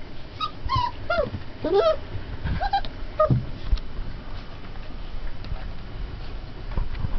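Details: Several 20-day-old Turkmen Alabai puppies whimper in quick succession early on, thin squeaky cries that rise and fall, then the litter goes quiet apart from soft low thumps and shuffling.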